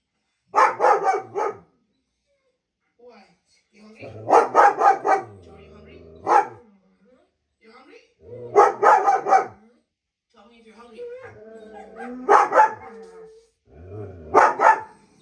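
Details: German Shepherd reacting to the sounds of other dogs, giving bursts of several quick barks separated by pauses, with low whining and a person's voice between bursts in a small indoor room.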